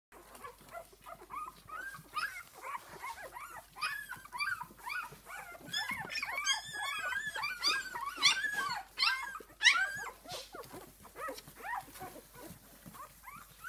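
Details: Esmée's six-day-old puppies squealing together indoors, a dense chorus of short arched squeaks and whines that overlap constantly, several pups calling at once with brief louder peaks.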